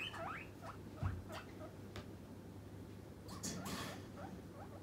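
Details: Hungry pet guinea pig demanding a snack: a few quick upward-sweeping squeaks in the first second and a half, then fainter rising squeals among brief rustling and clicking noises.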